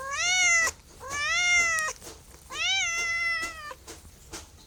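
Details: Three insistent meows from a domestic cat in quick succession, roughly one per second, each rising at onset and ending abruptly, with a quiet tail after.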